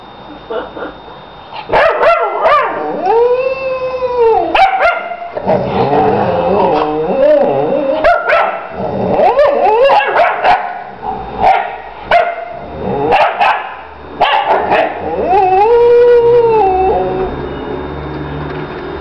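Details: Lady and her female puppy Ursa trading vocal 'conversation': drawn-out, wavering howl-like moans that rise and fall, near the start and again toward the end, broken up by quick yips and clipped barks.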